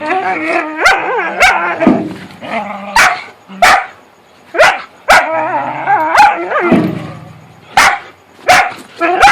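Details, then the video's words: Whippets playing in the dark, making funny noises: wavering, warbling harmonic grumbles and moans rise and fall in long phrases, interrupted by sharp, loud broadband clicks and thumps roughly every second. "Whippets playing in the dark & making funny noises"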